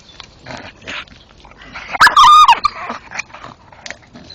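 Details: Male Staffordshire bull terrier gnawing a tree stump at night: crunching and scraping, then one loud, strained whine with a wavering pitch, followed by more chewing.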